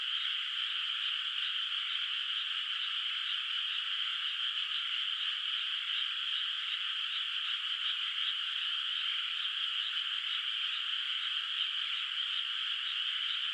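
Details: Many frogs call through the night over a moonlit rice field with bare water, no rice planted yet; their rapid, rhythmic croaks blend into a constant high buzzing chorus with no pauses.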